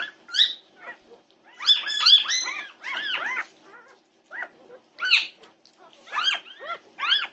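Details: Norwegian Buhund puppies at 2:30 am on June 8, 2021, yipping in a nighttime commotion: short high arched yelps in uneven bursts, several overlapping around two seconds, then separate yips with gaps between, against a quiet background.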